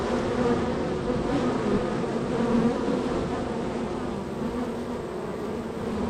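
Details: Busy honey bee colony at its entrance, bees arriving and departing; thick layered hum with shifting pitched whines of single bees flying past, steady throughout and slightly fading toward the end.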